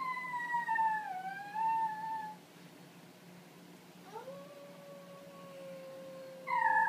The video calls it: Vocal warmups, Italian Greyhound style